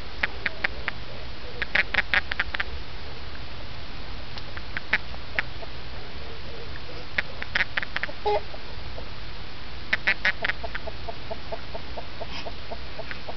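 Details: A backyard toad that hops around eating bugs at night, calling when picked up: short bursts of rapid, clicking pulses in trains of about a second, repeated several times over steady low background noise.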